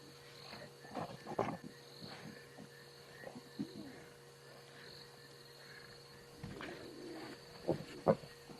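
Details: Lions of a pride that killed a buffalo in the South African bush, on the evening of 24 September 2016, snarl in harsh, rasping, spitting-mad bursts amid a steady background hum.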